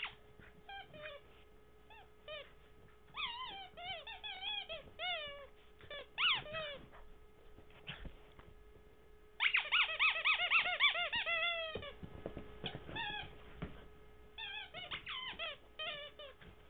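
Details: Henry, a puppy filmed in 2009, playing indoors with his favourite toy Mr. Squeaky: quick bursts of high, bending squeaks and yelps in uneven runs, a dense flurry midway, then scattered squeals.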